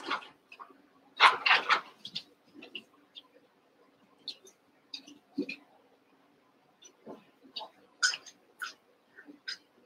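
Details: Cavalier King Charles Spaniel puppies, Daisy's six litter merged with Robin's two for eight pups at play indoors: sharp high squeaks and yelps in uneven bursts, a dense cluster early, then scattered shorter whimpers with faint low murmuring behind.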